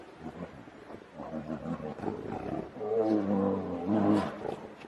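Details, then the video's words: Snarling growls from two grizzly bears locked in a fight, starting low and muffled, then swelling into louder, raspy, strained roars with a wavering pitch in the final two seconds. "Two Grizzly bears fight"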